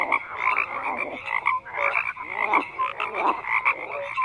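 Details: Many frogs croak at once in a thick chorus, rasping pulsed calls overlapping with brief clear tonal notes, the sound rising and falling in loudness every half second or so.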